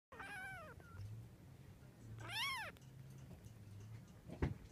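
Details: Munchkin kitten, 19 days old, giving two high mewing cries, the first wavering and falling, the second an arched rise-and-fall, over a steady low indoor hum with a short click near the end.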